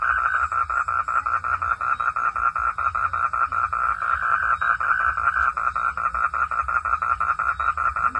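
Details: Nighttime frog calls: steady, evenly spaced mid-pitched pulses about three per second, continuing throughout with little variation.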